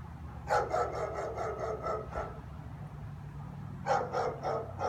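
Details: German Shepherd's repeated afternoon barking at an empty street; a fast string of about seven barks, a pause with low hum, then another burst of four barks near the end.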